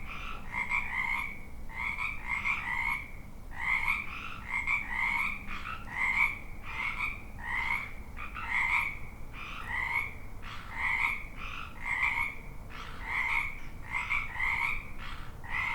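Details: Frog ambience: a continuous chorus of many croaking frogs, short pulsed calls repeating steadily throughout, overlapping voices with a faint low hum in the background.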